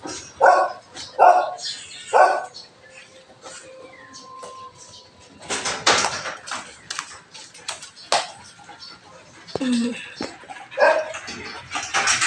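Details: Belgian Malinois in the morning during cleaning time, giving three loud, short barks in the first seconds, followed by mixed household clatter, rustling and scattered voices.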